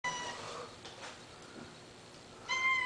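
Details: Two domestic cats meowing indoors, a short harmonic meow at the start and a louder, steadier meow near the end, separated by a quieter stretch with faint background noise.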